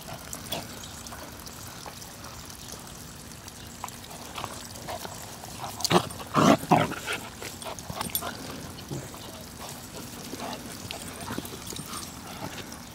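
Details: Border Collies Molly and Panda: one loud, harsh, harmonic bark-like burst midway, with brief softer yelps around it over steady trickling water and faint background noise.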